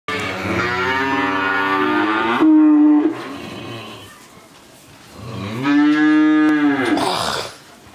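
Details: Friesian heifer calf, 13 months old, in Pabna, Bangladesh, giving two long, steady, droning moos of about two seconds each, separated by a short quiet gap, with a richly layered tone and faint room sound.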